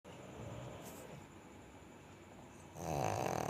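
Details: A pug snoring: soft, rough breathing noise, then a louder rasping, buzzy snore on the inhale near the end.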